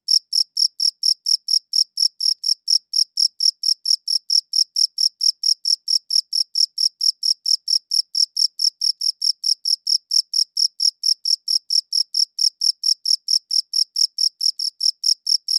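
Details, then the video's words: Crickets chirping, captured on a good audio recorder: a steady stream of short, high, shrill chirps, about four each second, ringing evenly for the whole stretch with no other sounds behind them. "Cricket Chirping Sounds"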